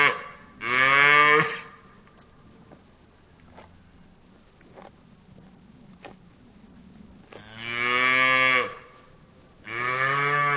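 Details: Farm cow mooing: one moo at the start, a long quiet gap with faint clicks, then two more full moos near the end.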